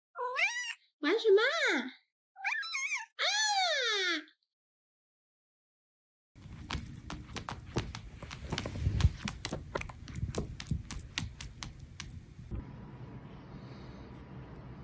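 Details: Chatty orange tomcat answering his owner with four quick, wavering meows that climb and fall, followed after a pause by a long stretch of rustling and clattering household noise.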